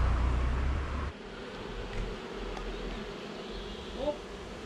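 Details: Honey bee swarm being shaken into a new hive, the bees following their queen inside: a steady low droning buzz with a strong low rumble of handling noise in the first second and a faint voice.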